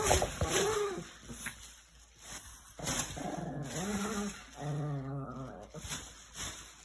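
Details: Chihuahua reacting with hostility to a garbage bag indoors: low rumbling growls with harmonic, wavering moans, in bursts of about one second separated by short pauses, with faint rustling between them.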